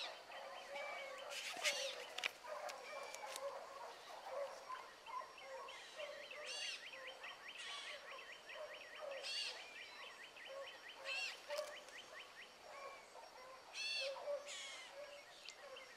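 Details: Hound pups including Ringo, Mingo and Choco on a rabbit track one morning. A distant, busy chorus of quick repeated yelps and quavering bays carries steadily throughout, with occasional sharper, louder cries rising over the pack.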